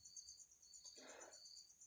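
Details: An insect caught in a bottle keeps up an unbroken, piercing high buzz. A brief rustling scrape of handling passes midway.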